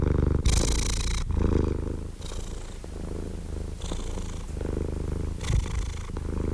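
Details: Domestic cat purring steadily with a low, continuous rumble. It alternates between breathy, hissier phases and deeper phases about every second. A sharp click is heard near the end.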